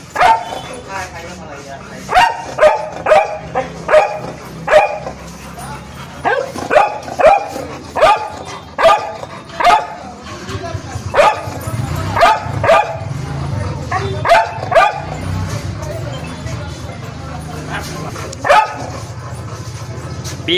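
A Labrador Retriever gives a run of deep, sharp barks, singly and in quick doubles.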